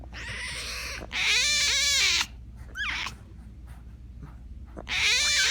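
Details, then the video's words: Tiger cub uttering long, loud, quavering cries with stacked harmonics. A quicker upward squeal falls between them, and a fresh cry starts at the end, over a steady low hum. "Som de tigre rugindo - som de tigre filhote"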